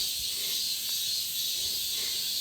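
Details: Cicadas give a loud, steady, high-pitched shimmering buzz, heard while hiking up a mountain in Korea.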